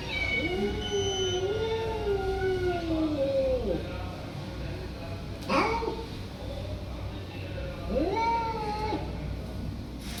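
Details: Hungry stray domestic cats meowing after a person calls them to food with chu chu chu sounds; a long arching meow, followed at intervals by two shorter rising-falling meows over steady low background hum.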